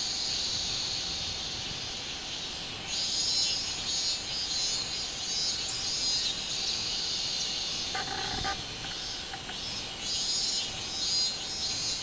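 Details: Robust cicada singing on 24 July 2016. A continuous high-pitched buzz rises in waves and falls back, with a brief lower knocking sound near eight seconds.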